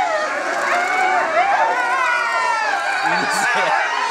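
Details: Captive gray wolf family at Higashiyama Zoo, two parents with young born in 2010 and 2011, howling together: several overlapping, sustained, wavering tones rising and falling in a continuous chorus, with a faint low sound near the end.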